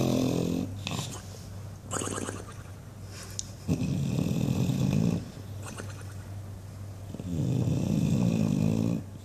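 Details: An English Bulldog asleep and dreaming, snoring loudly: long, low rumbling breaths in bursts of one to two seconds, some with a flapping, fluttering quality, separated by quieter gaps.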